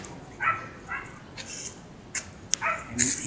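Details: Siberian Husky named Mero, out on a leashed stress-relief walk with its owner, a female student, gives short harmonic whining yelps, two quick ones early and another near the end, amid sharp clicks and scattered background noise.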